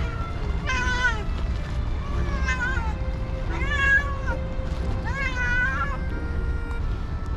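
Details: Hungry cats and kittens gathered around a person, meowing as they beg for food: four loud, wavering harmonic meows over about six seconds, each rising then falling, with steady background music and low rumbling noise beneath.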